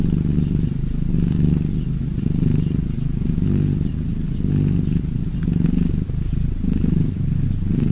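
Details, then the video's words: Domestic cat purring: a steady, low, rumbling pulse that swells and fades in slow waves, roughly once a second, with no other clear sounds. "Relax Purring cats!"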